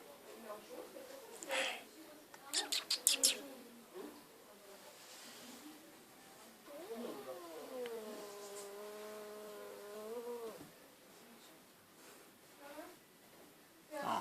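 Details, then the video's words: Cat in an animal shelter, meowing and yawning: one long, drawn-out, steady meow of about three seconds, evenly toned then dropping off at the end, preceded by sharp clicking taps and faint murmuring voices. "Meowing and Yawning Cat"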